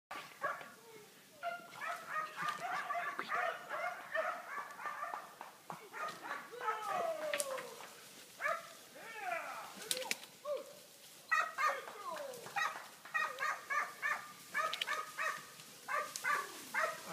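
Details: Hunting dogs in training for wild boar hunting, September 2013; several dogs bay and yelp in rapid overlapping bursts, with whining, descending yips and a man's voice at times.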